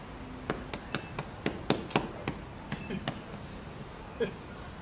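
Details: Kintaro, a two-year-old gorilla at Kyoto City Zoo, filmed in January 2021, beating his chest in a quiet spot without glass: sharp, hollow slaps in quick, irregular runs of two to four, with faint voices in the background.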